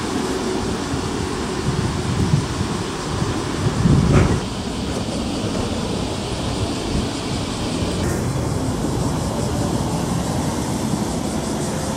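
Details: A steady low rumble of passing traffic or a train dominates throughout. No bird, insect or other animal call can be picked out.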